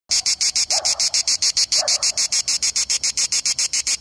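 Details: A grey cicada (Cicada orni) sings a steady train of harsh, high rasping pulses, about seven each second.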